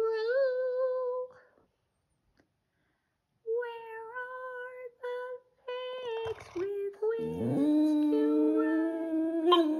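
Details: Boston Terrier howling along with its owner early on a Sunday morning, sustained tonal howls held steady, broken by pauses, then a woman's sung voice joining with lower sliding notes as the dog keeps howling.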